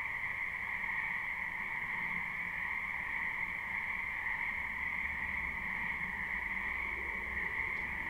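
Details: Frogs in a spring wetland, recorded live: a fainter, even, continuous trilling drone heard over a low background rumble, with little rise or fall.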